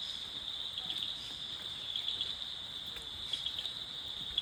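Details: A short stretch of forest crickets at Takdah, Darjeeling, among the pine woods by an old British bungalow. Their continuous high-pitched trill runs unbroken and slightly pulsing throughout.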